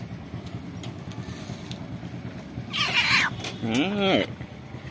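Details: Old stray cat living at a pagoda, asking for food and looking very hungry; two meows near the end, a raspy higher cry then a rising-and-falling harmonic meow, over steady traffic hum with a person talking softly.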